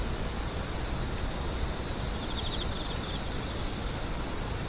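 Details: A continuous shrill insect drone stays level from start to finish, with a short run of quiet pulsed chirping in the middle and a soft low hum beneath.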